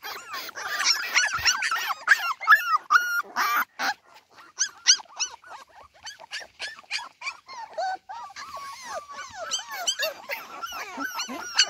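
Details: Cardigan Welsh Corgi puppies alone in the garden without their mother, giving many short, high, arched whines and yelps in quick overlapping bursts, with soft clicks and rustles between.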